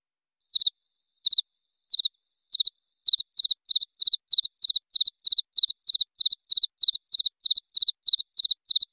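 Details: A cricket gives crisp, high-pitched chirps as a quick double pulse with a bright metallic ring, used as a clear tutor recording for songbirds. The chirps start spaced out, then settle into a fast, even rhythm of about three per second against quiet.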